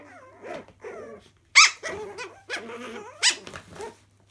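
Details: Playing Chihuahua puppies in a laundry room give wavering whiny growls and several sharp high yips, loudest around one and a half and three and a quarter seconds, irregularly spaced, over a faint steady low hum.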